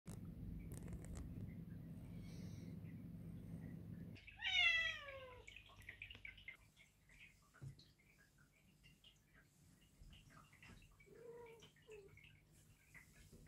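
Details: A single drawn-out meow from one of two 8-month-old Perdoll kittens on their first vet visit for neutering; the meow falls in pitch with a clear harmonic stack, then quieter rustling and faint household sounds follow.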